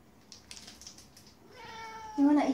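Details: Domestic Siberian cat begging for a 'chocolate' stick treat, giving a soft drawn-out mew that swells near the end, after faint clicks, while a woman indoors keeps asking whether it wants chocolate.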